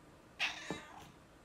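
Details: Female domestic cat that likes to croak giving one short, harsh, raspy croaking call, a noisy burst lasting about half a second that trails off into a lower grunt, indoors and otherwise quiet.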